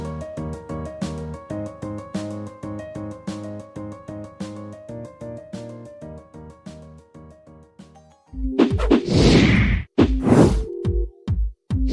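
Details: Steady plucked, rhythmic music with layered tones plays for about eight seconds, then gives way to loud whooshing crashes and thumping hits, with no animal voice heard.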